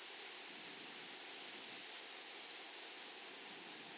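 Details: Grasshoppers stridulating in a meadow: a shrill, high buzz broken into quick clusters of pulses, repeating at a fast, steady pace over a soft background hiss.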